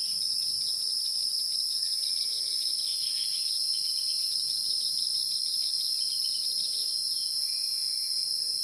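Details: A dense, unwavering high whine from insects in the wild fills the whole stretch, with occasional soft chirps mixed in.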